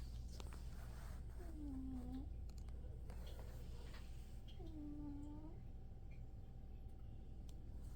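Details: A one-year-old pet cat snoring indoors, said to sound like an old man: two drawn-out, slightly curved nasal tones a few seconds apart over a steady low hum, with faint rustles.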